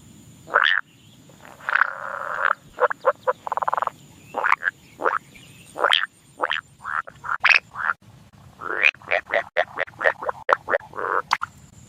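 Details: Frog facing off against a snake in a shallow paddy, giving a rapid series of short, loud, rasping croaks in irregular bursts, some drawn out and buzzy, others clipped, over a steady faint background hiss.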